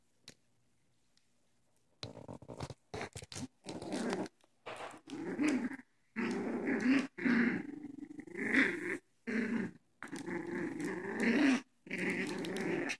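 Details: Young pet dogs playing together indoors with toys, giving repeated low rumbling growls in short bursts separated by brief pauses, with a few sharper higher yelps mixed in.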